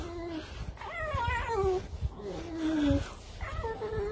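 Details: Red fox calling while being brushed indoors, a run of short wavering whines and yelps that rise and fall, repeated in bursts, with a person talking in Russian and handling noises underneath.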